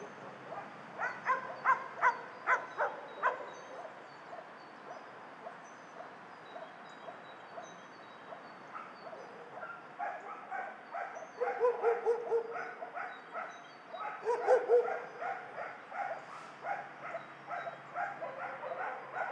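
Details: Many dogs at a dog shelter bark together. Sharp barks and yips overlap in uneven bursts, with loud clusters near the start and middle and quieter stretches of steady, rapid barking between them.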